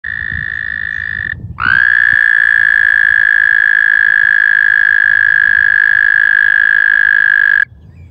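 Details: A male American toad (Anaxyrus americanus) gives a long, steady, high musical trill, a breeding-season mating call to attract females and warn rival males.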